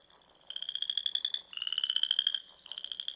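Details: Spring frog calling at dusk in the Nebraska Sandhills, near small lakes and ponds: after a brief quiet start, three rapid, high, rattling trills follow close together, each under a second long.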